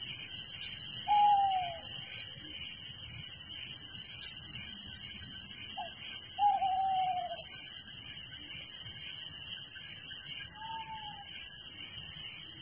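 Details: Night crickets in a village keep up a steady shrill, high trilling chorus, while a few short whistled notes, each sliding downward, break in at intervals.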